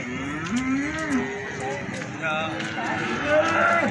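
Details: Feeder cattle for sale at a market in Plaosan, Magetan, give a few drawn-out moos that climb and then drop, with one higher, strained bawl near the end over low background voices.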